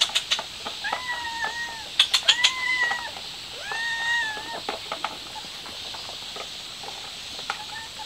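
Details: Stray mother cat trying to take her kitten outside: three drawn-out, level meows with a slight rise and fall, each about a second long, amid sharp clicking taps and a steady high background hiss.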